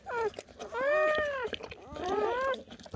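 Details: Squealing from a German Shepherd newborn while mother Betty delivers her litter through the night: two arched, wavering cries, each rising then falling, with a short chirp before them and low murmuring around.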